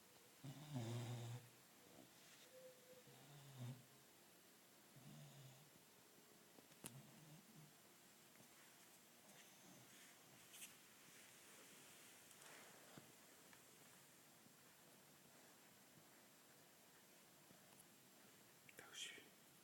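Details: Sleeping 15-week-old Labrador puppy Jules snores softly, a few low rasping breaths early on, then quieter breathing with faint clicks and room noise.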